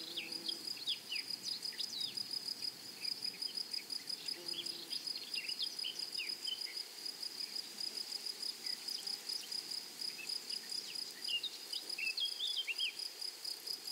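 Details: Flowery meadow soundscape with grasshoppers giving a constant shrill pulsed buzz, overlaid by frequent brief, high bird chirps and tweets scattered across the whole stretch.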